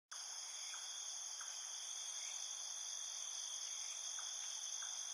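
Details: Insects trill in a dense, steady, high-pitched chorus, with faint short chirps beneath, beside a lake among trees in a forest.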